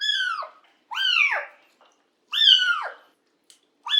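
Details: Cat being bathed indoors, calling with shrill, downward-sliding meows, three clear cries in four seconds with a fourth starting at the end, otherwise quiet.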